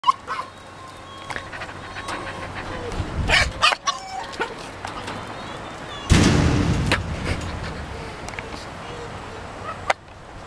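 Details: A tame fox named Jenson, very excited and always pleased to see its owner, gives thin whining squeals around the start, then loud rasping chattering bursts, amid scuffling and a person calling its name.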